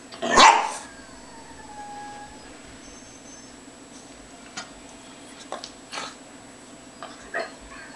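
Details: A male Lhasa Apso lying in the sun during a "happy fit" of excitement gives one sharp, high yip, followed by near silence with faint scuffs.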